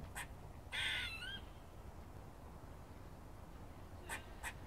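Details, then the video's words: Squirrel chirping and barking, Cambridge: a single loud harsh nasal moan with a quavering tail, then quiet, then two short dry chucks near the end. "Squirrels barking and chirping"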